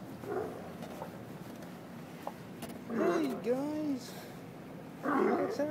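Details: A chorus of sea lions at Westport Harbor, Washington, gives hoarse, arching barks in short bursts while a man talks nearby.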